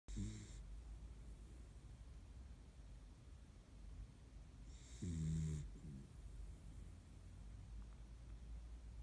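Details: Kaninchen dachshund, one of three sisters, fast asleep during a daytime nap by the window. Two short rasping snores sound at the start and again about five seconds later, with quiet breathing between them indoors.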